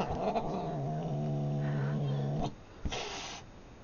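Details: Newly adopted male cat fighting a teddy bear indoors, giving a low, steady growling caterwaul with stacked harmonics for about two and a half seconds, then a brief rustle and a short higher yowl.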